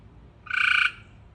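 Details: Frog uttering a single short nasal call of roughly half a second, steady in pitch, with a faint low hum behind it.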